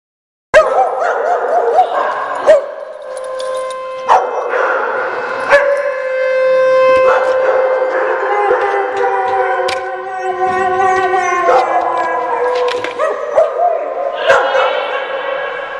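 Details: Several dogs at a doggy day care in Oswego, Illinois, on January 3, 2012, howl together during a siren test: long wavering overlapping howls throughout, broken by sharp barks and yips at intervals.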